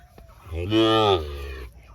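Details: A Sahiwal bull offered at a cattle market in Birampur, Dinajpur, Bangladesh, on 24 June gives a single harmonic moo of under a second, pitch bending slightly downward, with quiet background noise before and after.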